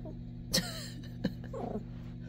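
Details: A Yorkshire Terrier sniffing under a china cabinet barks at something in the corner, two sharp, high yaps about a second apart over a steady household hum; the owner guesses the rain or possibly a mouse.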